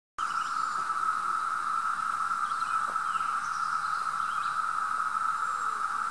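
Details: Brood V periodical cicadas at Mohican State Park on June 4, 2016 fill the air with a steady, unbroken droning chorus at a single mid-high pitch.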